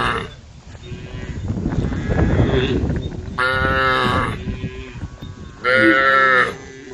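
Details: Tame female cows calling the herd: three seconds of rough, rumbling noise give way to two loud, clear, harmonic moos, each held under a second, separated by a short pause.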